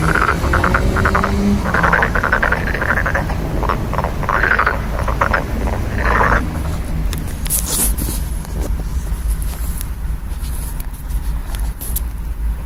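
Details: Frogs calling in a series of rough, pulsing bursts over the first six seconds, then fading out. A steady low rumble like passing traffic runs underneath throughout, and scattered high clicks follow later.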